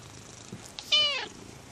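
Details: A pet cat utters a single short, bright meow that bends downward at the end, preceded by a couple of soft taps, in a quiet indoor setting.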